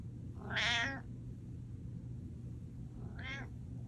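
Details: Pet cat sounding a mew alarm indoors: one loud, drawn-out meow followed by a softer, shorter meow about two seconds later, with a constant low hum behind.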